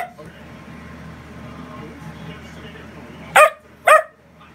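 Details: Dachshund indoors, bossy and vocal because it does not like anyone leaving or getting up, gives two sharp loud barks about half a second apart near the end after a quiet stretch of low room noise; a woman talks softly.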